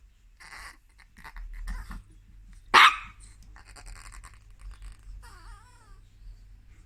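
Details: Chihuahua that wants to go on the bed gives one sharp, explosive bark, preceded by soft huffs and followed by a thin, wavering whine, indoors with low background hum.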